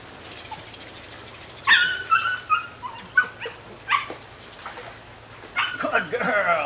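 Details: High yelping cries and short squeals come from a nine-week-old female Rodin/Katana puppy in an irregular burst of about half a dozen calls, ending in a harsher, noisier bark-like outburst, with a faint voice in the background.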